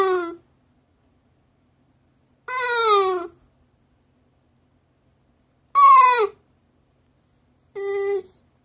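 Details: Fifteen-year-old Shiba Inu, aged 15 years 6 months 11 days, indoors appealing for something: four drawn-out, wavering whine-howls, each sliding downward in pitch, separated by pauses of two to three seconds in an otherwise quiet room.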